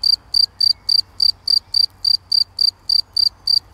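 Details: A cricket in grass sings in high, shrill chirps, about three or four each second, in a steady run, with a common nightingale singing in nearby bushes on 11 June 2020; a faint low rumble lies underneath.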